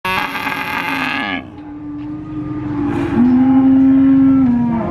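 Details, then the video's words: Calf bellowing at a cattle market in Purwokerto, Indonesia, with an adult cow nearby: a loud, harmonic-rich moo in the first second, then a steady, sustained lower moo that swells louder toward the end, over market background noise. "Suara Anak Sapi Asli Moo Seram , Cow Sound Effect Mooo , Suara Sapi Asli di pasar Sapi Purwokerto"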